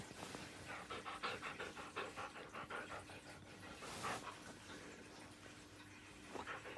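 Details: Siberian Husky named Bunta indoors at home, relaxing after nudging its sleeping owner awake with a cold nose. It pants quickly and steadily in short breathy bursts, roughly three per second, over a faint constant electrical hum.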